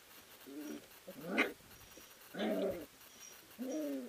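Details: Three-week-old puppies wrestling and playing together in a whelping house; short harmonic whines and squeals in bursts, one rising yelp and a growly grumble, separated by quiet pauses.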